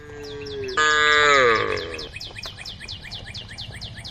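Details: A tame female cow in a group calls to the herd: a loud, drawn-out moo with rich harmonics that slides downward in pitch over about a second, after a softer lead-in tone, followed by quick repeated bird chirps.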